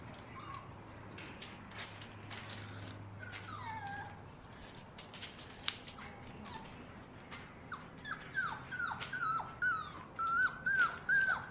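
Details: Five seven-week-old English cocker spaniel puppies: scattered clicks and knocks and a few soft whines at first, then a run of rapid, high, bending whimpers and yelps over the last few seconds.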